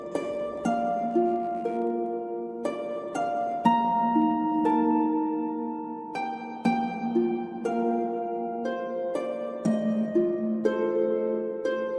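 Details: Only plucked harp music is heard, with sustained notes and no animal voices.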